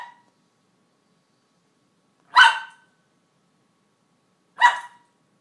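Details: A Cairn Terrier named Ellie, frustrated by a kibble out of reach under her crate, gives short bright barks, a clipped one at the start, then two loud single barks a couple of seconds apart in a quiet room.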